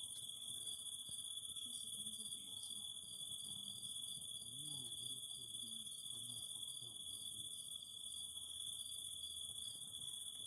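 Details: Cicadas singing by a fire: continuous high shrill and steady lower whine with regular pulsed trills, while faint low wavering murmurs and soft crackles run through the background.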